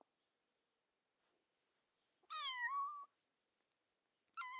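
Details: Domestic cat meowing in a quiet setting: one clear meow lasting under a second, its pitch dipping slightly then levelling, followed after a pause by the start of a second meow.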